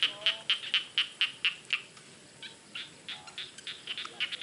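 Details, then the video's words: A frog calls from a rice field in a quick series of sharp, high pulses for nearly two seconds, then softer, scattered pulses continue behind it. "SUARA KATAK DI SAWAH"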